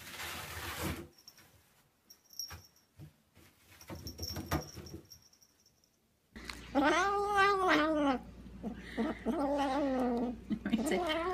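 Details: Cat caterwauling indoors. About six seconds of handling and rustling noises come first, then a run of long, drawn-out yowls that waver up and down in pitch, several in close succession with short gaps.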